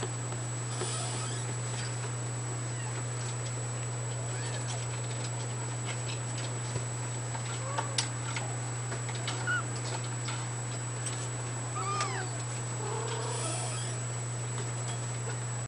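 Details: Fawn Abyssinian kitten in its second week, born 18 June 2010, giving faint high arched mews, several between eight and fourteen seconds, over a steady loud low hum and background hiss indoors.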